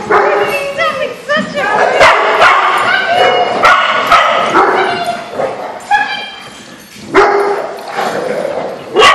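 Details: Dogs at a big dog social on May 4, 2014, with Rocky and Zoidberg among them; loud, sharp barks and higher yips burst out in uneven volleys, sometimes twice a second, while people talk nearby.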